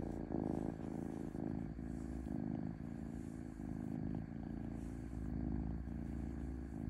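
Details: Domestic cat purring smoothly: a steady low rumble that swells and eases in breath-length cycles under a faint constant hum.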